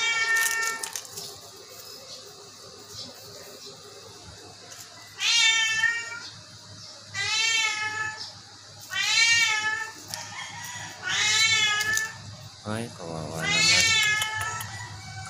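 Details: Sick Persian cat meowing repeatedly, about every two seconds: loud, wavering, slightly falling cries with rich overtones, plus a lower, shorter cry near the end.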